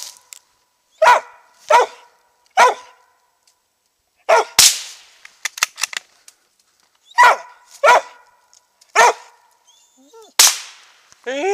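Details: Max Pine Knot, a roughly three-year-old Treeing Mountain View Cur, bays at a treed squirrel during a South Carolina hunt; clear single barks come in pairs and threes, broken by a sharp crack and brief quiet gaps.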